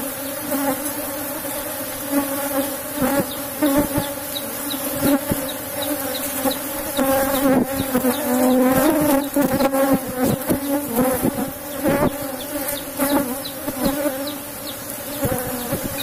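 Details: Strong Asian honey bee colony (Apis cerana) kept in a box hive at honey harvest; a dense, steady drone with a wavering higher tone, punctuated by frequent sharp taps and handling sounds.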